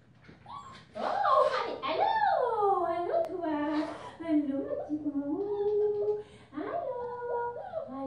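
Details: Five-week-old female German Shepherd puppy in a purple collar, bred from Ibon Jipo-Me and Witch von Wendelin, giving a run of tonal whines that swoop up and down, one after another, in a quiet room.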